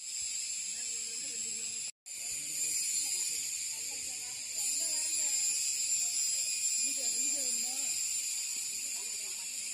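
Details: An Indian cicada gives a loud, steady, high-pitched buzzing drone, with a man talking quietly underneath.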